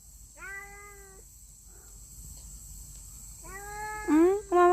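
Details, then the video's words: Stray street cat outdoors while feeding, giving two drawn-out, level meows about three seconds apart, the second followed by a woman's soft spoken words. ""알라리에옹" 소리 낸 후 사라진 길 고양이"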